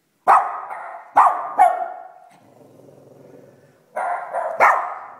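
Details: Pet Cavalier King Charles Spaniel answering another dog heard barking on a screen: three loud abrupt barks, then a low steady growl for about a second and a half, then two more barks.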